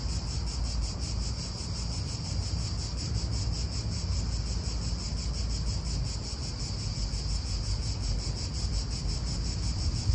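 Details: Cicadas in an Italian park: a steady, high, finely pulsing buzz runs unbroken through the whole stretch, over a low, constant rumble of wind and distant traffic.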